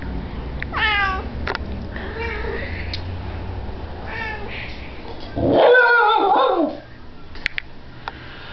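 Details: Female Shiba Inu named Kitsune yodelling, a wolf-like vocalisation: several short wavering whines building into a loud, sustained warbling howl that bends in pitch, then falls quiet with a few faint clicks.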